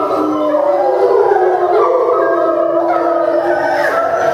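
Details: Zoo-kept timber wolves in Japan howling together after eating, September 2015: several steady drawn-out tones layered at different pitches, one gently rising.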